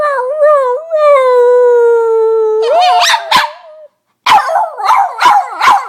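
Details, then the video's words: A female Boston Terrier pet dog making weird noises: a long, steady, high whining squeal that bends upward, then a burst of sharp barks, a brief silence, and a run of rapid squeaky yips. "Piper The Boston Terrier Weird Noises"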